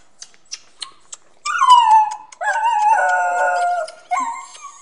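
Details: Jealous Fox Terrier whining: four soft clicks, then three bursts of sustained, high, nasal whines that hold steady pitch with slight bends, each lasting about a second, the last one shorter.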